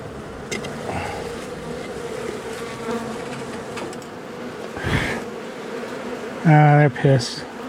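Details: Agitated honey bee colony removed from a house wall on the first cutout day, March 6, as darkness fell. A steady buzzing drone runs throughout, ending with a loud human vocal outburst near the close.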